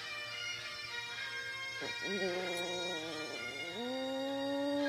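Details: Chihuahua named Rudy, a pet dog, howling along to bagpipe music playing Scotland the Brave; drawn-out tonal howls that dip, hold steady, then slide upward, woven over the loud, continuous drone and chanter of the bagpipes.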